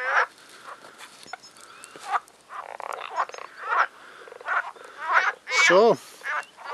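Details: Frogs in a pond on a nature trail near Agios Demetrianos, north of Paphos, Cyprus, in spring, likely mating season, call in a loud, busy, overlapping chorus of rasping, pulsed croaks audible from afar.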